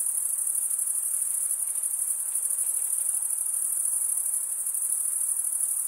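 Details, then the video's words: Chirping crickets, the sound made by males scraping wing against toothed wing vein, heard as a bright, pulsing high-pitched drone with slight flutter, sustained without break and free of other noises. "Most relaxing cricket sound"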